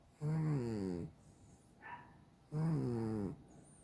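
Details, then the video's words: Cat snoring in its sleep, with two drawn-out, low, buzzing snores of nearly a second each and a faint soft sound in the quiet gap between them. "a snoring cat"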